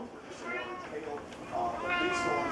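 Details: A female Siamese cat that usually quacks rather than meows gives two drawn-out, wavering meows, the second longer and rising then falling, while a person talks to her.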